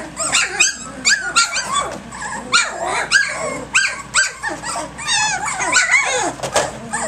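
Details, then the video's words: Puppies three weeks and three days old, a lively litter romping at six in the morning: a dense tangle of squeaky yips, whines and small growls with wavering high-pitched squeals overlapping throughout, no pause between voices. "Egypt's ACTIVE Puppies 3 weeks 3 days"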